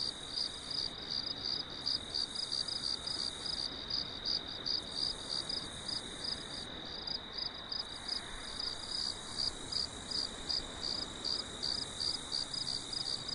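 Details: High, rhythmic cricket chirping on a farm after dark under a full moon, pulses repeating near three per second for the whole stretch, quiet background hiss only.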